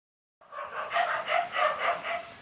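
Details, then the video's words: Dogs during a fight between a lone dog and two males, giving a rapid run of harsh, harmonic barks, about six in quick succession, fairly steady in loudness, with no other clear sounds. "No fear to fight a lone again two male dogs"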